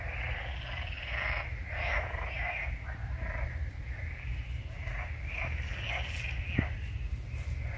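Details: A hedgehog visiting at night snuffles and huffs loudly in rough, breathy bursts that draw closer and sound menacing, over a steady low rumble.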